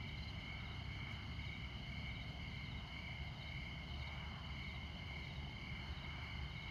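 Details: Crickets at midnight in Montana beside I-94, in the far north of the continental USA: a steady, high, shimmering trill that keeps going without pause, layered over a constant low rumble of interstate traffic.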